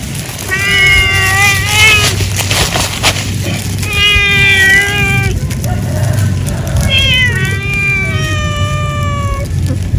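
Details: Cat eating after work in an animal husbandry setting, meowing repeatedly: three long, clear, tonal meows, each sliding slightly downward and lasting over a second, with a steady low mechanical rumble beneath.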